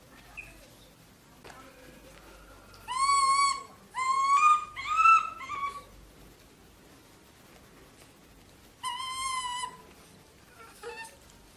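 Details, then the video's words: Pet monkey raised at home in Vietnam, screaming on discovering a bedroom: loud shrill harmonic shrieks near 3 and 4–5 seconds, another burst near 9 seconds, with quieter squeaks between in a quiet indoor room. "Monkey Sam Discover Mom Bedroom, Sam Screams When Sees"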